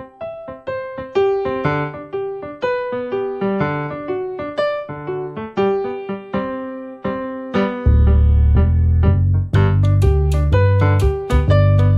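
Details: Electric piano music plays a bouncy melody with chords, joined by heavier bass notes and percussion in the second half.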